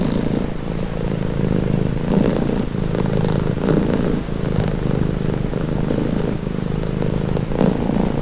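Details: Continuous low purr of a domestic cat, deep and buzzing with gentle rises and falls in loudness tied to breathing, heard up close as a calming, relaxing sound.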